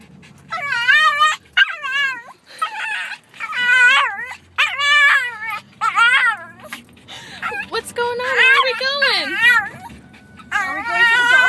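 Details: Pet dog named Donovan, said to love to talk, producing a long run of wavering, yodel-like whining vocalizations, each rising and falling in pitch, about ten separate bursts with short pauses between.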